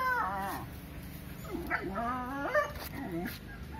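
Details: A dog almost crying to drive a monkey out of its area, giving a series of high, wavering whimpering cries with bending pitch, repeated several times over a few seconds.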